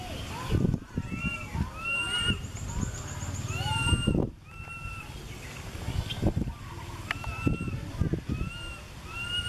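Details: Baby monkey calling out to its mother up in a tree, filmed with a Canon SX50HS: clear, thin, arching tonal cries repeated every second or so, some doubled, over low rumbling background noise and soft thuds.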